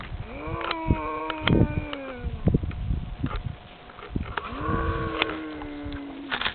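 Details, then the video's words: Cows in France gathered near a man who calls them: two long, arching moos separated by rustling, thumps and shuffling of animals moving close by. "Sound of Moosic"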